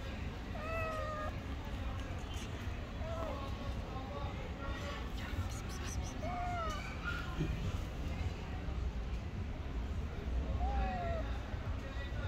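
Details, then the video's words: Hungry stray cat asking for food mews several times, short bent calls spread across the clip, partly masked by a human voice and steady low street noise. "The hungry stray cat hugging my feet wants food."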